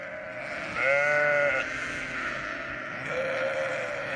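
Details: Sheep of a flock on a Western Australian ranch bleat over a constant background chorus: a clear, quavering bleat lasting under a second, then a softer, shorter bleat near the end.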